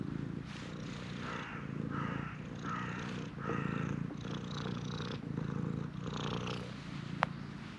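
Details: Purring stray shrine cat pressing hard for petting: steady throbbing purr in regular breaths, each pulse about a second long, with one sharp click near the end.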